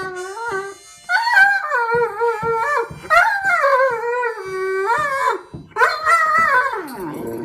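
A Great Dane howls in long, wavering, rising and falling notes over a harmonica.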